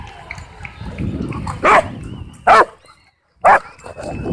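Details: Dog at a dog park, among dogs racing and playing, giving three short, sharp barks spaced about a second apart, with low rumbling background noise and faint thin tones between barks.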